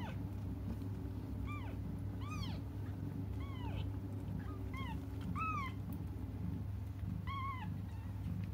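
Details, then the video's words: Cats waiting for their mother keep crying in scattered, thin arched mews, some paired close together, separated by short pauses, over a persistent low droning hum. "until their mom comes just stop crying"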